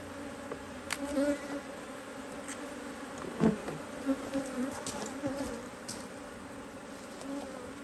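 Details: Honey bees at an opened Hive IQ beehive in Australia, near mid-autumn 2023, on a cloudy day with rain forecast while a box is added; steady droning hum broken by repeated louder buzzes of bees passing close, plus light knocks.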